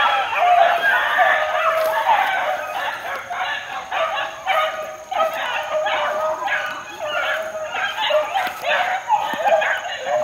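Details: Group of four-month-old Beagle pups in the wild, a somewhat more distant, continuous chorus of overlapping bays and yips with an uneven, pulsing rhythm.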